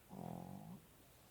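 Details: A Pekingese, asleep under covers, gives a single low, buzzy snore with a fluttering rasp, just over half a second.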